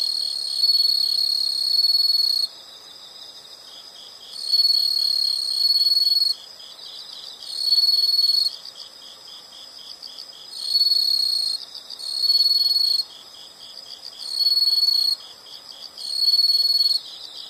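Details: Insects in nature: shrill, high-pitched ringing bursts of one to two seconds return about every two seconds over a steady, quieter, finely pulsing buzz that continues throughout.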